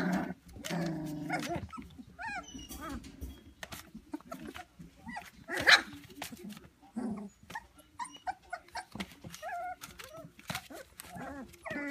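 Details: Three-week-old white Standard Poodle puppies whimper and squeak in short, high, wavering bursts.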